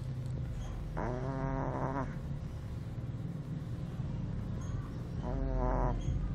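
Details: Two-month-old Shih Tzu puppy asleep and snoring: two nasal, harmonic snore breaths about a second long each, roughly four seconds apart, over a low steady rumble.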